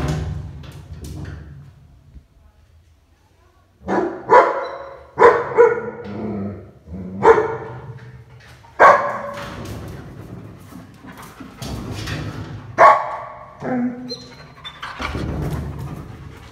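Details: A black-backed German Shepherd puppy barks in deep, loud bursts, guarding and protecting the house.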